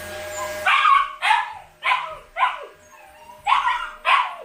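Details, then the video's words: Siberian Husky puppies left home alone, letting out a string of loud, whiny yelping howls, about seven bursts roughly every half second with short gaps between, indoors. "When husky puppies are home alone!"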